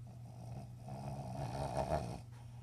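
A Cavalier King Charles Spaniel snorts with low, rough, rattling breaths that swell and then fade.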